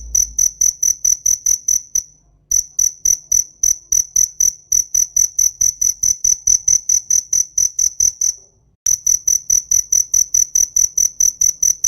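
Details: Cricket chirping loudly: a steady run of sharp, high, ringing pulses, about three to four a second, broken by two brief pauses, over quiet low background noise.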